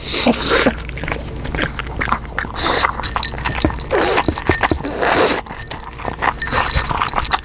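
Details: Omame the pug munching food, taken with a newly bought microphone and no added effects: crunchy chewing clicks mixed with several breathy snorting puffs through the nose.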